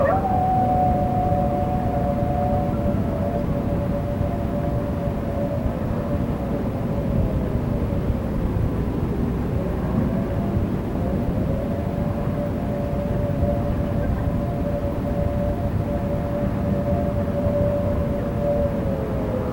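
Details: Family dog howling in response to Thunderbolt civil defense sirens during an alert/attack signal test in early May 1986; long sustained wavering howl that dips in pitch midway and then rises again, mingled with steady siren tones.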